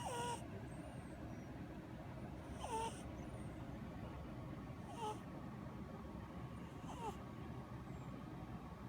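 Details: Sleeping orange tomcat Ramen, napping often since his sister's death, gives four breathy snores at uneven gaps, some carrying a faint nasal whistle, against a constant low background rumble.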